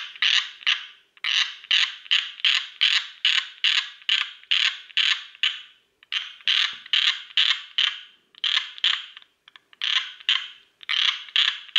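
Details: Tree frog calling in a steady series of loud, raspy, creaking pulses, about two to three per second, with short pauses between bursts; no other sounds stand out.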